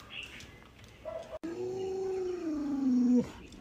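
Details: Pet Alaskan Malamute named Lolo reacting while its owner jokingly pretends to stew a puppy: a long drawn-out tonal howl, sliding slowly downward and ending abruptly, preceded by a few brief whiny notes and faint household noise.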